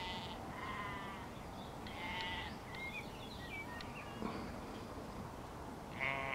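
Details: Sheep, a mother and her lamb spotted at Gaarweg, Hellevoetsluis, give several short wavering bleats, one near the start and others around one and two seconds and at the end, while small birds twitter and a steady outdoor rumble continues.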